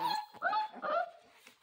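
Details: Central Asian Shepherd Dog puppy wanting to play, giving a run of three drawn-out, tonal whining yelps that waver and fall in pitch.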